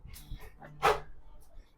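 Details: Pet Labrador Retriever at home demanding more honey, letting out one sharp loud bark amid people talking in Tamil nearby.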